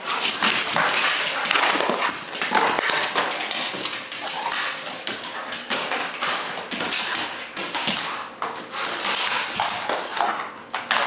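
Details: Rottweiler pup named Zeus tearing at a frisbee in play; harsh, rasping broadband growls and crunching bursts run almost without pause, rising and falling in loudness through the whole stretch.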